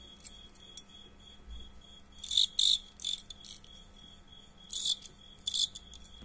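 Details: Fighting crickets, a match of cricket combat: short bright chirp bursts repeated in clusters over a steady faint high tone, loudest near the middle and again toward the end.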